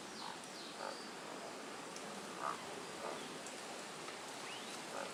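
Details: Male Tago's brown frog calling in courtship from rock crevices and holes along a cliffside stream; soft, short low croaks spaced a second or so apart, faint over a steady rush of flowing water.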